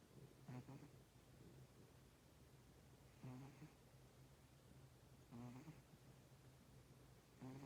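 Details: Sleeping cat snoring: soft rhythmic breaths with a harsh, buzzy rasp on each inhale, roughly every two and a half seconds, over a steady low hum.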